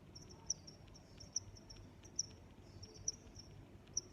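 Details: High, piercing cricket chirps, five loud pulses in about four seconds, separated by softer trilled notes against a faint low hum.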